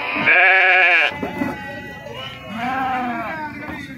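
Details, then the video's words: Sheep unloaded at the Pebbair sheep and goat market. One loud, vibrating bleat lasts about a second, followed by quieter bleats and people talking in the background. "sheeps unload in pebbaru mandi-sheep and goats market pebbair-pebbair santha"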